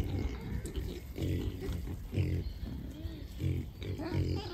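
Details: Wild boars in a beech forest, including a large boar with sharp tusks, giving deep, rough grunts in short bursts about every half second to a second, with faint high birdsong in the background.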